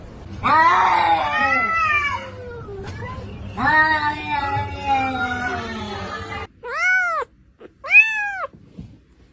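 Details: Domestic cat giving two long, drawn-out meows that waver and slide downward, each lasting about two seconds, then two short, sharp arched meows in quick succession, with faint background hum.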